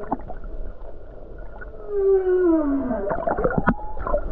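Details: Humpback whale song recorded off the Hawaii coast on a calm day with many whales about: a long tonal moan gliding downward, overlapping harmonic wails and short grunts and clicks, with low underwater rumble beneath.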